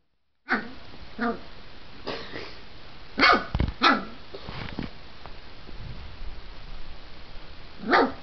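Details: Diesel, a dog who is getting big, gives single sharp barks spaced irregularly, two close together near the middle and one more at the end, with quiet room noise between them.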